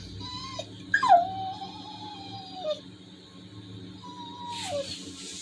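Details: Labrador retriever sounding sad after missing a walk because of rain: soft, thin whines, including one long, slightly falling whine and a later shorter one. Background music plays throughout.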